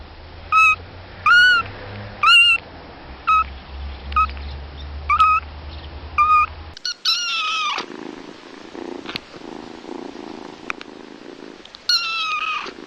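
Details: Kittens playing and meowing: a series of short, high, clear mews repeated about once a second, each with a slight rise and fall, then a louder rustling, scuffling stretch with a few further mews near the end.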